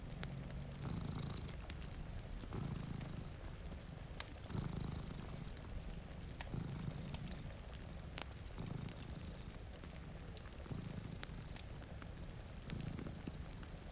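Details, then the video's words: Steady, throbbing purr from two sleeping cats in front of a rainy window, breathing in and out in regular low pulses, accompanied by snapping fireplace crackles and continuous rain. "Purring Cat"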